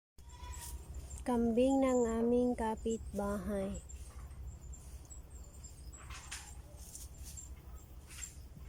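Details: Baby goat under a tree, giving a long wavering bleat of about two seconds followed by a few short choppy bleats, then quiet with a steady low hum and faint high hiss in the background.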